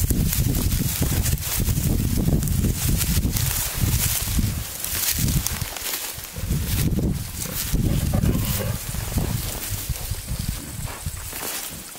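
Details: Male wild boar courting a wild sow in natural surroundings, giving fast runs of low, throaty grunts, several every second, in bursts that swell and fade over twelve seconds, with rustling in the undergrowth.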